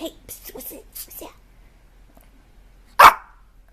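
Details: Puppy barking: a person talks softly for over a second, then after a pause comes one sharp, loud bark.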